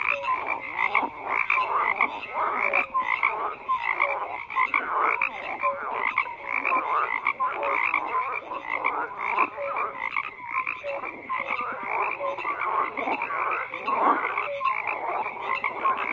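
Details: Dense frog chorus: many overlapping croaks and short pulsed calls, with brief tonal notes recurring throughout at a steady, busy rhythm and no pause.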